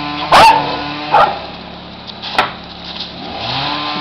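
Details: Jack Russell Terrier named Griffin playing excitedly with leaves; two short, sharp barks come in quick succession near the start, followed by a single click, over a steady low tonal hum and faint background music.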